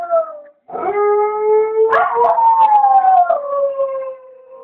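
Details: Home-alone dogs howling while their owner was at the shop: a short high note, a pause, then a long loud howl that rises and then slowly falls, with several voices layered together.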